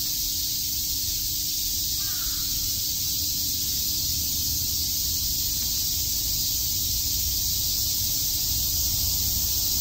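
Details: Many cicadas buzz together in Tokyo's Shakujii Park on a summer day, a continuous sizzling drone; a faint, distant bird call sounds briefly near the start over low rumble.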